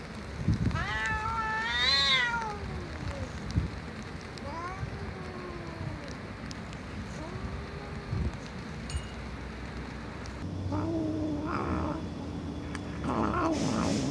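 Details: Domestic cat meowing loudly: a bright, harmonic-rich meow near the start rises and falls, followed by softer drawn-out mewing calls and a faint low rumble and scattered knocks later on.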